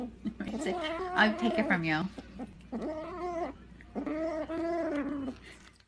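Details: Cats meowing in drawn-out, wavering wails, several long calls running together with quivering pitch and brief gaps, in a quiet indoor setting.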